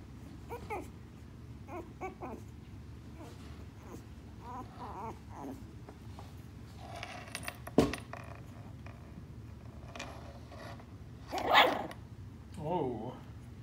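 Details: A three-week-old West Highland White Terrier puppy growls indoors while wanting to play, giving short, low rumbling growls and squeaky whines scattered across the recording, with a person's voice and occasional knocks in a small room.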